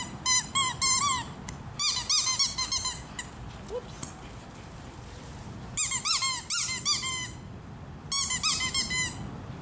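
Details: Italian greyhound foster pup, once terrified after rescue from a hoarding situation, barking while playing ball indoors with another dog; rapid, shrill yipping barks in four quick bursts separated by short pauses, in a small room.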